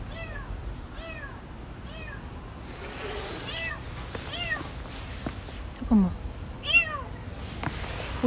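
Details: Kitten trapped in a sewer drain meowing, the sound coming from the drain pipe: a series of short, repeated high meows, several downward-curving cries, with a quieter hiss-like sound, speech and background hum.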